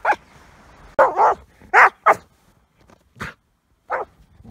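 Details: Border collie playing obsessively with an ice chunk, an OCD-like habit it usually shows with rocks, gives loud, sharp barks in uneven bursts, some doubled, separated by short quiet gaps.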